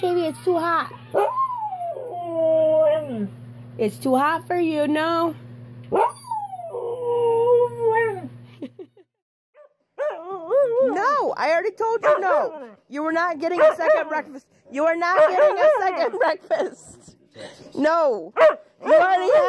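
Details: Siberian Huskies singing woo-woo sounds: wavering, sliding howl-like calls rising and falling in pitch, with a low steady hum beneath the first half, then a pause and a denser run of short modulated yips and woos.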